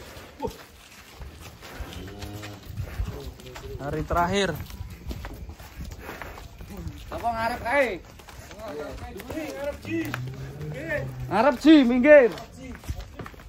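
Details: Giant cattle coming down from a truck during unloading in 2025; a low, drawn-out moo rises near the end, while men talk and shout loudly over most of the recording.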